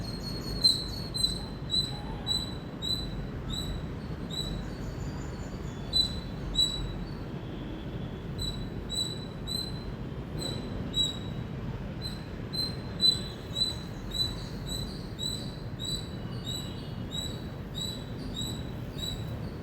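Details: Indian squirrel giving a loud chirping sequence, high sharp chips in short volleys with louder accented notes every second or so, a faint low hum underneath.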